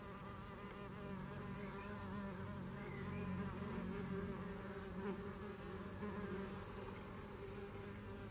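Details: Red mason bees filmed at a house in Garboldisham, South Norfolk, giving a continuous droning buzz with stacked overtones that swell slightly midway, while faint high bird chirps sound in the background.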